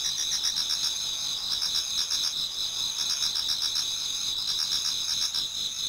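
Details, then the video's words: Many autumn insects singing toward dawn in a Japanese garden: a dense, continuous high chorus with bright steady trills and a pulsing overlay, all voices layered with no single caller standing out. "Autumn Insects voice Towards dawn"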